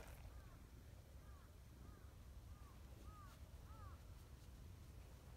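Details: A jealous, affection-seeking tabby community cat gives six short, arched mews, roughly one every half to two-thirds of a second, while another cat is petted; faint over a steady low rumble; tabby cat.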